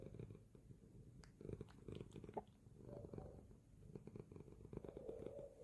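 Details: Cat asleep, giving a soft continuous low purr with rhythmic pulsing and a few small clicks and rustles.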